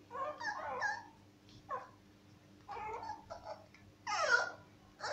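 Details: Young Cocker Spaniel puppies awaiting adoption at a vet clinic in Murcia, Spain, crying in a row of wavering, mewing whines, each under a second, rising to a louder, shriller cry near the end over a low hum.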